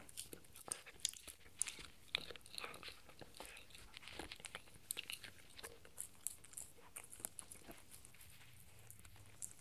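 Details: A 4-month-old male Shetland sheepdog puppy crunches and gnaws a raw beef bone in sharp, irregular bursts of cracking.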